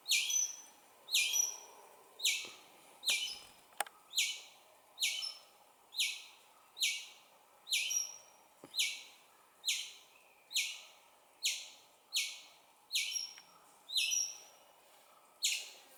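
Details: Chirping of a young squirrel calling its mother: a steady, loud series of high, sharp chirps about once a second, several ending in a thin whistled trail, over a quiet background.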